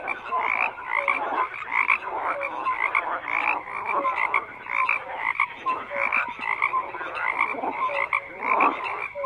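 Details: Many frogs call at once in a thick, continuous chorus of rasping, pulsed croaks, rising and falling in loudness, with short whistle-like notes scattered through and nothing else heard.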